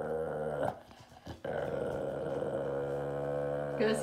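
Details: Beagle guarding his dead squirrel growls in a sustained low rumble, broken by a short pause, then resuming steadily and ending with a higher whining edge.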